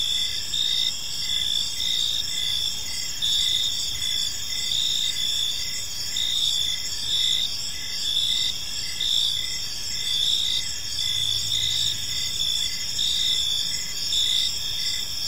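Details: Evening cricket chorus in a quiet park: continuous high-pitched trills stacked in several bands, with rhythmic pulsing chirps recurring steadily throughout and a soft low background hum.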